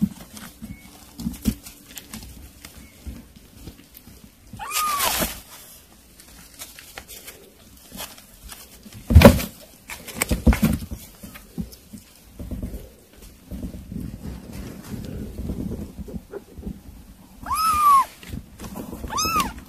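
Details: Kittens eating weaning food: a few high, arched mews, one near five seconds and two more close together near the end, over steady wet chewing and lapping clicks and a soft low room hum.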